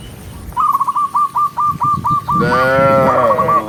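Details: A cow gives a rich, drawn-out moo after a run of quick, high, repeated chirping notes, as a herd of tame cattle walks along a countryside path at sunset, mooing to call other cows home.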